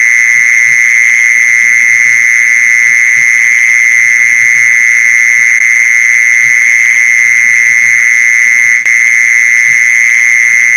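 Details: Mole cricket trill used for luring mole crickets: a steady, uninterrupted high buzz at one pitch, broken only by a short click near the end, over a quiet low hum.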